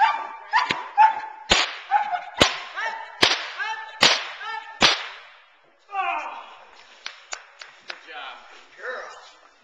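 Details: Teal, a young Boerboel bitch aged nine months, barks intensely in protection training as she is frustrated off the sleeve. Loud whip cracks punctuate fast, harmonic barks, which then fade into softer, scattered yelps.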